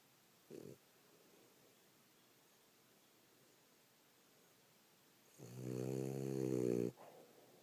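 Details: A female French Bulldog, tired after a rough day of play, snores with a long, rattling, buzzy breath after a brief snort.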